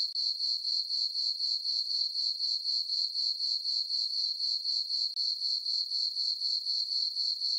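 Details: Night crickets chirp in a summer meadow on a farm beneath a full moon, a bright sustained trill throbbing evenly about four times per second, with one brief dip near the end.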